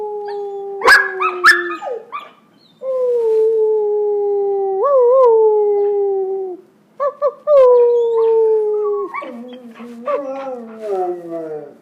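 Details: Pair of puppy brothers practising howling, the older one having just begun and now coaching his younger brother: a few yelps, then long, even howls with upward kinks, ending in layered, descending voices overlapping.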